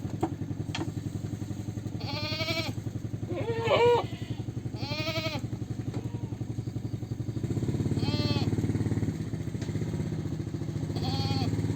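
Goat bleats, wavering and nasal, repeat several times over a steady low engine rumble.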